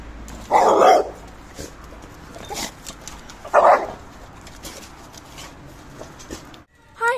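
A Labrador Retriever gives two short, gruff barks a few seconds apart, with soft human voices nearby.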